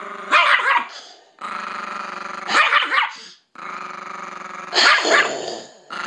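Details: Pet Chihuahua guarding its female owner from a man, giving a steady low rumbling growl that breaks into three sharp snarling barks at roughly two-second intervals, with short pauses between growls.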